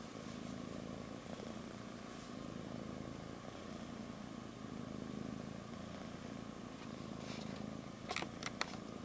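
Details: Kitten purring while asleep on its mother's belly: a steady, low, continuous rumbling purr that never breaks, with a few soft rustles and brief clicks near the end.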